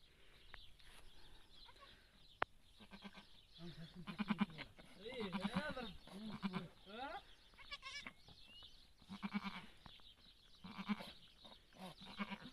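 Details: Goat giving birth, filmed up close, with repeated wavering bleats from about four to seven seconds and again near nine and eleven seconds, mixed with people talking and exclaiming nearby.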